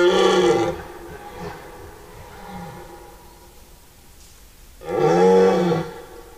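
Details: Red deer stag bellowing during the rut in a forest, September 2018: two loud, rough, harmonic roars, each roughly a second long, separated by a quieter fading groan and a pause.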